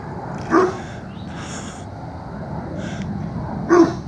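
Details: Alarm barking by a dog at Mills River, early morning of 3 September 2017, warning people on a trail above the stream: two short, abrupt barks about three seconds apart over a steady hiss.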